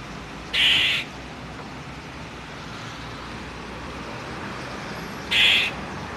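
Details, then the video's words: A squirrel gives two short, harsh, raspy bursts several seconds apart over quiet background hiss, heard as telling someone to get off its property. "This is what a squirrel says."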